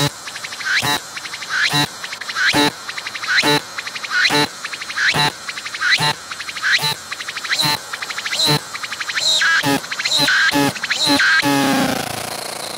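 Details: Singing cicada filmed up close on a tree with a 180-degree 3D VR camera, its abdomen pumping as it calls. Loud, rhythmic bursts of buzzy clicking with a bright ringing tone, repeated a little more than once a second, ending in a sustained buzz.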